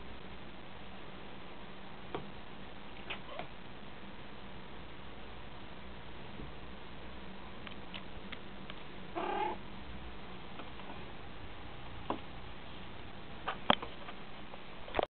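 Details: Leo, a pet cat indoors, makes strange noises at a fly: scattered short clicky chirps and a brief harmonic mew near the middle, with a faint steady hum underneath.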